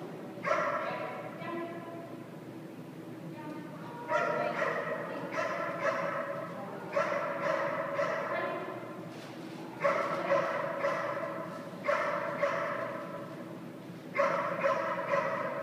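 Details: Dog staying at a boarding kennel during down-command training, giving bursts of harmonic, whiny barks and yips in clusters about every two seconds, with steady low background hum.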